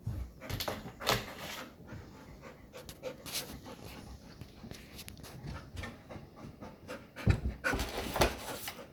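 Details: A golden retriever playing with a cat pants hard and fast, breathy huffs coming about two or three each second, with a pair of louder rough exhalations close to the end.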